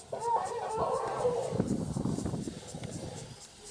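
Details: African elephants, large males fighting at a mud wallow on a very hot day before the winner charges: a loud brassy trumpet blast lasting about one and a half seconds, breaking into rough, lower, noisy rumbling.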